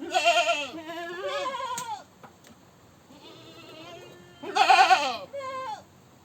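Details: Repeated goat screaming: a run of loud, wavering, bleating cries over two seconds, a softer drawn-out bleat, then a sharp harsh scream and a short, higher closing cry.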